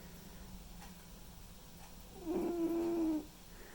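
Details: White and ginger male cat Mimi asleep, giving a single whistling snore near the end. The steady, reedy tone lasts about a second after a stretch of near silence and faint indoor hum.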